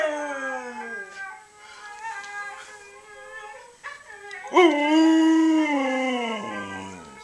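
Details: A three-year-old Siberian Husky, a family pet, howls in reply with drawn-out wavering tones that rise, hold, then slide down. Siberian Husky.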